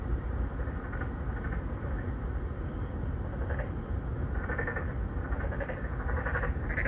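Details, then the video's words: Narrow-mouthed frogs seeking females in an urban apartment pond in Songdo, Incheon, Korea, phone-recorded on a Galaxy Note9; several quick buzzy pulsed croaks cluster toward the end, answering one another, under a heavy low hum of vehicles. "Narrow mouth frog 맹꽁이"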